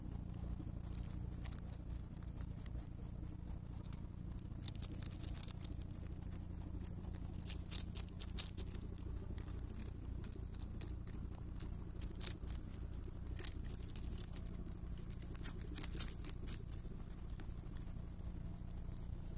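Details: Rabbit eating cabbage on Okunoshima, Japan's Rabbit Island, June 2021: wet, crisp crunches arriving in irregular clusters of rapid clicks with brief pauses, above a constant low rumbling background.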